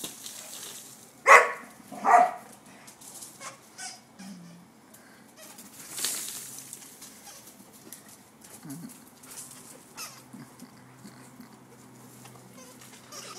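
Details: Portuguese Water Dogs Mac and Uncle Sounder after grooming: two sharp, loud barks in quick succession early on, then quieter huffs, soft growls and rustling movement, with a person's voice briefly heard.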